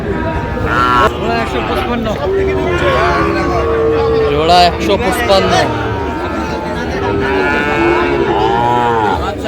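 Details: Sahiwal cattle, with Sahiwal-Sindhi calves being traded, at a Narayanganj cattle market in Bangladesh on 30 January. Several short, overlapping moos rise and fall through the clip, mixed with constant bargaining voices and crowd bustle.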